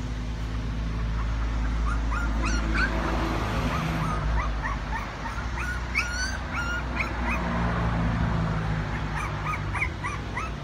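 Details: Several puppies at play give short, squeaky rising yips and whimpers in quick, irregular bursts through the whole stretch, a few notes clustering together, over a constant low rumbling hum.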